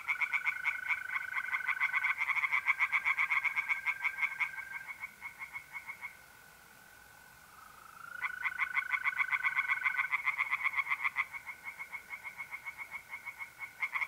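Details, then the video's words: Tree frogs calling at night in an Italian pond in mid-April: dense rattling pulses, roughly four each second, fade for a couple of seconds then resume, while trilling mole crickets hum steadily throughout. "singing tree frogs in pond"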